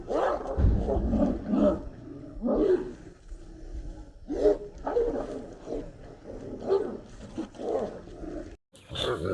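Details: Street dogs fighting for a female, with bursts of rough snarls and barking growls roughly every second or two, separated by brief quieter gaps, and a sudden silence near the end.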